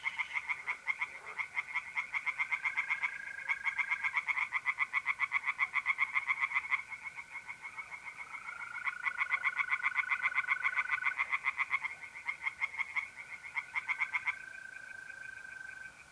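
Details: Pond tree frogs singing through an April night in north-east Italy: long runs of rapid, regular pulsed croaking, several callers overlapping, with bands of sustained mole cricket trilling weaving between the bouts.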